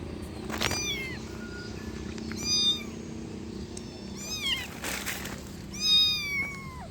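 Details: Kitten meowing, four short high mewing calls with rising-then-falling harmonic arcs spaced over several seconds, over a low background hum and occasional clicks.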